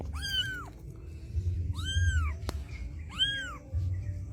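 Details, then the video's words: Street mother cat calls her white kitten to her: three drawn-out arched meows, with a sharp click in the middle and a low hum underneath. "A Mother Cat Calls Her White Kitten Come to Her"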